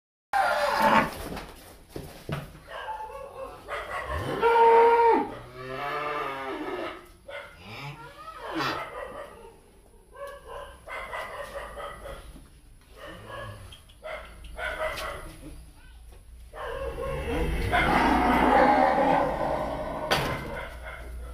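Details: Breeding cattle (BBB, Angus, Charolais and Brahman breeds) at a cattle farm in Ba Tri; harmonic, drawn-out lowing around five seconds and again near the end, with farm clatter and scattered knocks between calls.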